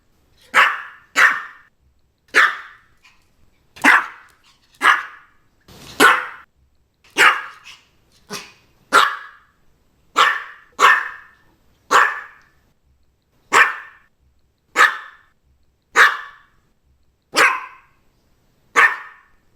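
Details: Maltese dog barking: sharp, bright yaps repeated roughly every second, about fifteen in a steady series, each short and fading quickly, with near silence between barks.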